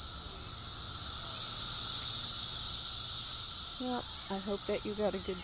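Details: Cicada invasion: a continuous piercing, high-pitched hum of many insects that swells slightly and then eases, with several short spoken syllables near the end.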